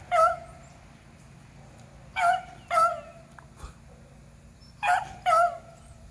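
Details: Beagles, eleven and three years old, hunting squirrels on April 21, 2020, give short yelping bays in pairs, a quick double cry, a pause of two seconds, then another pair, over a faint background hum.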